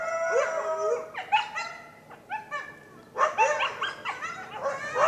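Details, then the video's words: Coyotes howl and yip together, heard through an open window, their high wavering voices sliding up and breaking into quick yelps. "Coyotes (Sound Only)"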